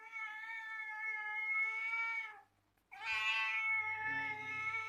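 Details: Domestic cat giving two drawn-out, sweet meows, the first steady and level for over two seconds, then a brief silence and a second rising, brighter meow that holds and fades; quiet indoor background.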